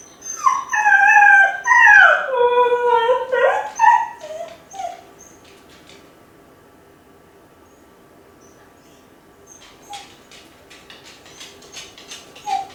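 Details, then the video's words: Kai Ken dog left home alone, howling from a high spot as if calling its family back; a long wavering howl with rich harmonics rises then sinks over four seconds, followed by quiet and a few faint yips near the end. "甲斐犬の遠吠え！🙀】留守番犬の鳴き声 ！狼みたいだけど寂しい声に切なさも感じる"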